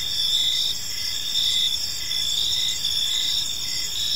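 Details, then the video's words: Crickets in a park at evening produce a piercing, even trill with overlapping chirping bursts roughly each second, a thick insect chorus and nothing else clearly audible. "Cricket Sounds in a Peaceful Park"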